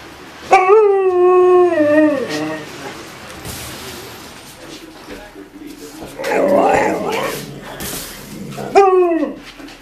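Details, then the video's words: Alaskan Malamute puppies 'talking' about the snow on the first day of spring after a long, dry-ish winter: a drawn-out, wavering, descending harmonic woo-woo call, a rougher grumbling burst midway, then a short rising yodel at the end. "Alaskan Malamutes talking about the snow"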